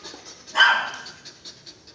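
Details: Belgian Malinois giving a single short, sharp bark with a bright tonal edge, followed by faint repeated ticking sounds and quiet room noise.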